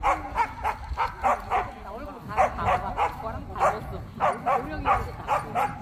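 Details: Korean Jindo dogs at the 67th Korea Jindo Dog Association best Jindo selection show; sharp barks come in quick bursts, about three a second, pausing briefly midway, with people talking underneath.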